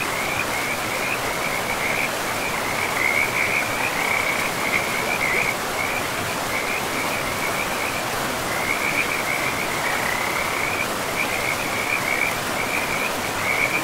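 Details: Frogs along a river in a pristine forest. A steady chorus of high, buzzy, pulsed trills carries on through the whole stretch with only brief gaps, layered over continuous rushing water.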